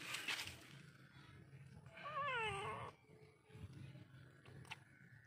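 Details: A rescued kitten, once injured and found by a roadside, lets out one wavering, descending meow lasting about a second amid low background rumble and faint clicks.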